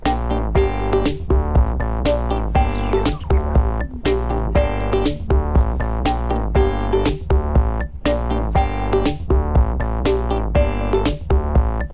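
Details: Upbeat electronic music with a steady drum machine beat, synthesizer chords and piano-like notes, and no animal sounds.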